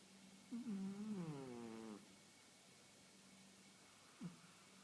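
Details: Khaleesi, a 1.5-year-old female house cat, snoring while asleep indoors, a habit she recently began daily; one drawn-out, low, harmonic groan falls in pitch over about a second and a half, then a brief soft catch near the end.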